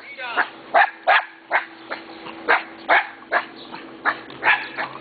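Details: Neighbour's friendly dogs barking on seeing someone: a steady run of sharp, broadband barks about two to three per second, fairly even throughout, with a faint steady hum underneath.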